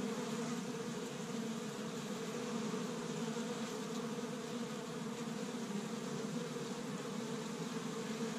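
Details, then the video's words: Honey bees at an established hive in Michigan on the first warm day of spring, busy gathering pollen from tree buds; a dense, steady low buzzing drone with layered hum bands, unbroken throughout. "See Busy Honey Bees Active in the Spring"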